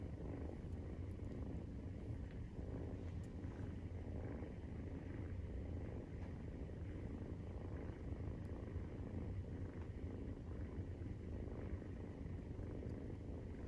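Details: Low, unbroken purring of a Maine Coon cat during nursing, kitten 43 days old; a dense droning rumble holds level from start to finish, with occasional tiny clicks.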